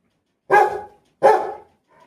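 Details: Pet Rottweiler barking: two loud, deep, rough barks about three-quarters of a second apart, each fading quickly, then a faint short sound at the end; no other noise.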